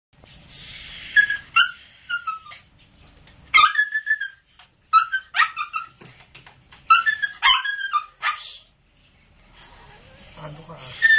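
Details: Newborn Lhasa Apso pups giving high thin squeals and whines, sliding downward in pitch, in irregular bursts every second or so with short quiet gaps between.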